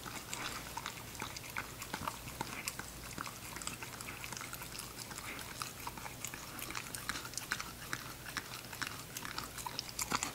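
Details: Ginger, a female English Cocker Spaniel puppy, eating her food: a steady stream of sharp crunching and clicking chews, closely packed and fairly even in loudness across the whole stretch, with a low steady hum underneath.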